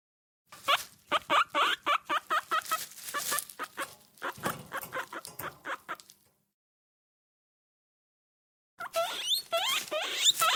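A guinea pig gives a quick run of short, squeaky chirps, pauses, then squeaks again.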